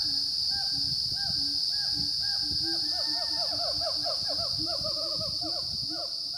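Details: Siamang gibbons calling at 900–1100 m on Gunung Rajabasa, a dormant volcano in south Sumatra, morning of 5 June 2016: booming arched whoops that speed up into a quick, rising series, backed by a constant shrill insect hum.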